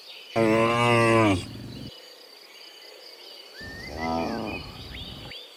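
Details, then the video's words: Cows on the way from the field to the barn in the morning: one loud, sustained, harmonic moo, then a quieter, shorter moo, with rising bird whistles in the background. "Dozens Funny Cow Sounds in the Morning, Returning from the Field to the Barn, Cow Sounds"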